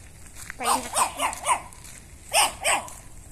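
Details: A Chihuahua that visits a house and barks when it sees the people there gives a quick run of four sharp, high barks, a pause, then two more.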